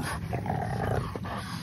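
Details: French Bulldog puppies playing outdoors in a kennel yard on a sunny December 1; a brief, tonal whining growl holds for under a second above a low rumbling hum.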